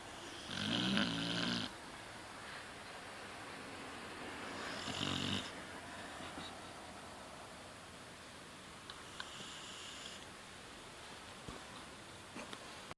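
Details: A sleeping pet Beagle snoring at home: two deep, rasping snores a few seconds apart, each a broad rumbling breath lasting under a second, with quiet breathing in between and a faint room hush.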